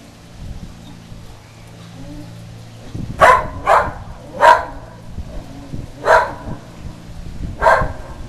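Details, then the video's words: Whippet barking excitedly at the Goodyear blimp passing overhead outdoors on a sunny day; five sharp, loud barks spaced irregularly about a second apart, with a low hum and faint rustling behind. "our whippet barking at the Good Year blimp"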